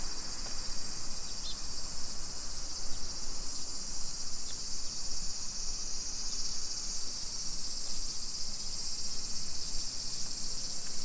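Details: Summer cicada chorus along neighborhood streets of Nisshin city, Aichi Prefecture, Japan, 2 PM, 28 July 2021: a loud, seamless, shimmering buzz with faint scattered ticks, over a low background rumble from footsteps.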